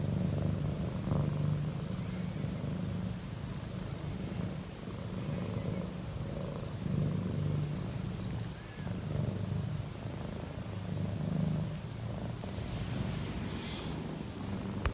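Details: Relaxed domestic cat purring very loudly, a steady low rumbling purr pulsing continuously for the whole stretch, with faint soft higher noises now and then in the background.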